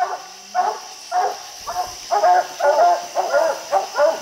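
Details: Dogs treeing raccoons high on a steep bluff, six coons counted; steady bouts of loud, ringing barks roughly twice a second, several dogs overlapping, with a faint hiss of background noise.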